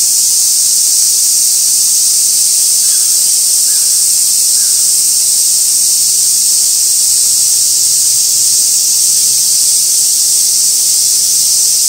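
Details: Continuous summer cicada chorus at Gaikotsu-yama, Japan, 2 August 2024, near an old sawtooth oak crowded with flower chafers; a dense, even high-pitched shrilling persists, with a few faint soft chirps briefly in the middle.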